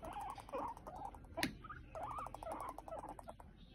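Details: Pet guinea pigs during a fight: a run of short wavering squeaks in quick succession, with a sharp click midway and a faint steady hum beneath.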